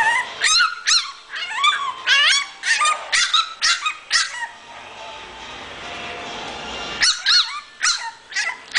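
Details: An English Bulldog puppy gives quick, high-pitched yapping barks and yips in rapid bursts.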